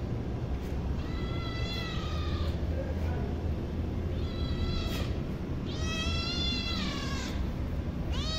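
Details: Hungry kitten meowing repeatedly, drawn-out wavering cries with some rising and falling in pitch, about five calls in quick succession over low background noise.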